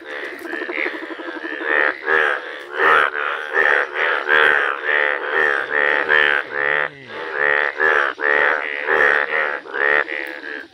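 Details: Yellow Indian bullfrogs in a village chorus, a fast stream of short, throaty, nasal croaks tumbling over one another for ten seconds, with a faint low hum briefly underneath.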